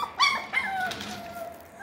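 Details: A sharp high yelp opens the sequence, followed by fainter trailing whines, from six-week-old Parson Russell Terrier and Russell Terrier puppies at Blossom Valley Kennel.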